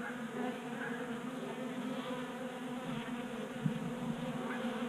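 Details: A crowd of honey bees at a 3D-printed bee feeder on a Colorado garage workbench in January; a continuous hum of wingbeats with a brief sharp tap or click midway.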